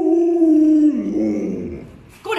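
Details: Pet Alaskan Malamute at home during a meal, near Chinese New Year, gives a steady, sustained howl that slides lower and breaks into a rougher moan, then a person's voice cuts in.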